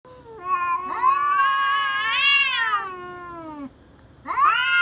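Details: Cats threatening each other: a long, rising-and-falling moaning yowl lasting nearly three seconds, a brief pause, then another yowl starting with an upward sweep.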